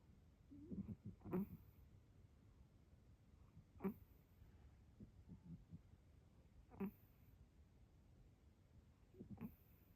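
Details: A peacefully sleeping cat snoring: rough, breathy snorts at a steady rhythm, roughly one every two to three seconds. Each has a sharper click-like peak, and softer breathing sounds in between.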